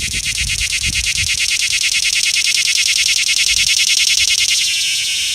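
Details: Cicada filmed up close in a small Georgia town on an iPhone 6S, giving a loud, harsh, high buzz pulsing rapidly at about three beats per second, the pulses smoothing into a steady drone near the end.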